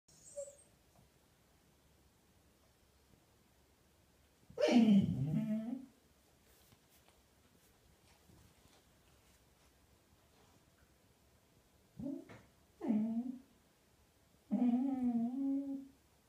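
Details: Female Golden Retriever talking to herself indoors in a small room: a drawn-out low groaning moan, then after a long quiet pause several shorter grumbling, wavering vocalizations in quick succession.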